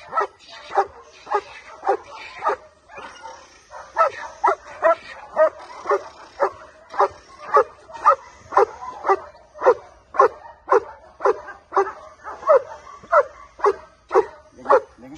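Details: Male German Shepherd barking steadily: a long run of short, mid-pitched barks, about two per second, fairly even in loudness throughout.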